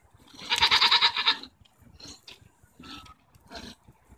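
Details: Goats arguing, recorded June 24, 2014: one loud, harsh, quavering bleat lasting about a second, followed by a few shorter, softer bleats and rustling.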